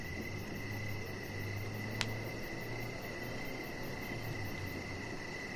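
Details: Evening crickets near a deck where Rocket, a chihuahua puppy, lies under decoration lights. A nearly continuous chirping tone sits over low humming background noise, with one brief sharp tap partway through.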